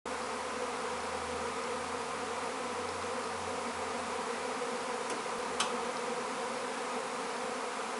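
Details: A secondary honey bee swarm flying in the sky over a garden makes a dense, steady droning hum, with many wingbeats blending into one low roar.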